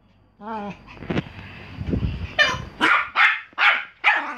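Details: Pomeranian barking: after a short whine and background voices and hum, a run of four loud sharp barks follows at a steady quick pace.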